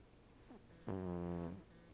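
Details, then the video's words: Sleeping female Cavalier King Charles Spaniel lying on a couch back with a Siamese cat dozing nearby gives a single drawn-out, low rattling snore lasting under a second, set in a calm, quiet room. "my Cavalier King Charles Spaniel, snores!"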